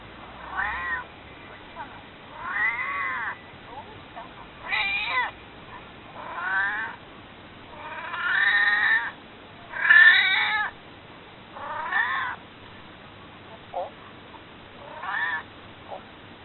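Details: Maru, a domestic cat close to 22 years old, later deceased, begging to be held with a steady string of about nine meows, one every one to two seconds, each rising then falling, some longer and louder than others.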